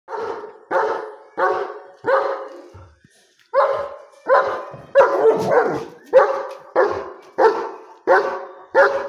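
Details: A German Shepherd on the street barks deep and loud at a street dog, repeating harsh woofs less than a second apart; finding: German Shepherd.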